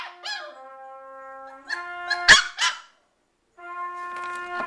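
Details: Two Shiba Inus, Winston and Krista, howl in wavering, rising and falling notes, singing along to a trumpet's steady held tones during trumpet practice; Shiba Inu howl.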